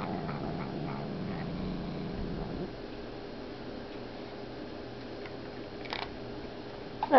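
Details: Female domestic cat, grumpy at a newly arrived cat, growling as she eats from his food bowl indoors; a low rumbling growl for about two and a half seconds, then quiet room with a woman talking.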